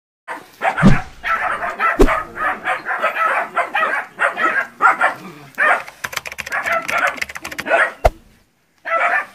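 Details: Nine puppies in training confront a large water buffalo in West Sumatra, Indonesia, before going out to the field: a dense, almost continuous run of high, yapping, overlapping barks with a few sharp thumps.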